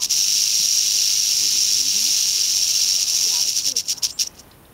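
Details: Western rattlesnake on the East Molera trail in Andrew Molera State Park near Big Sur, California, August 15, 2010, giving a continuous dry high-pitched buzz that breaks into stuttering pulses near the end; faint voices underneath.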